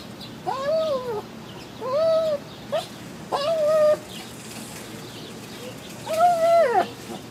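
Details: Wolfy, a Shih Tzu obsessed with cats, cries to play with a cat in a neighbour's basement window: four drawn-out, high whining cries that rise then fall, roughly every one and a half seconds, with quiet gaps between.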